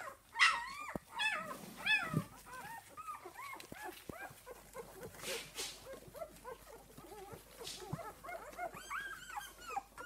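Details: Esmée's puppies at six days old: a loud squeal at the start, then a steady murmur of many soft, arched squeaks and whines from the litter, rising again toward the end.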